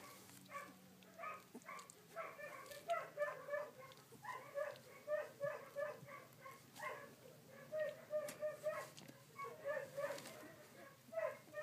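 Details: Sixteen-day-old collie puppies, recorded 3 June 2013, squeal continuously in short, pitched yelps about three per second, irregular and overlapping, over a faint low background hum.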